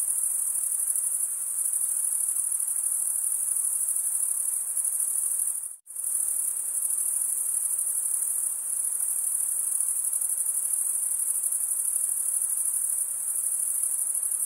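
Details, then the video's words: Stridulating crickets give a continuous, high, pulsing trill, with many insects overlapping into one shimmering band. The trill cuts out abruptly for a split second near the six-second mark, then resumes unchanged. "Most relaxing cricket sound for 8 hours"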